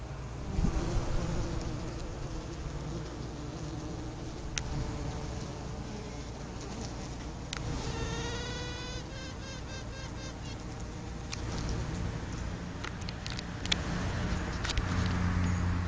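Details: Honey bee queen piping while roaming freely through the colony, a call the queen may give when ready to head it; a short series of stacked, harmonic toots near the middle over a steady low hive hum and buzzing.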